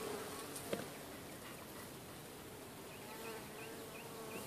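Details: Busy bees at a hive entrance chasing a beetle away; continuous whirring hum of many wings with a brief sharp tap early on and a few faint chirping notes toward the end.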